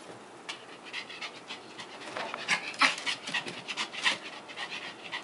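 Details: Pomeranian, a pet female dog lying still like a seal while being dried; quick breathy panting bursts roughly three per second, soft and irregular, with faint rustling in a quiet room.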